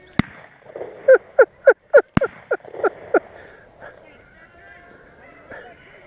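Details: A beagle bays while running rabbits on a hunt near Vera, Virginia. The dog gives a quick series of loud, falling bawls, about eight in two seconds, between two sharp shots. Softer baying from other hounds trails off afterward.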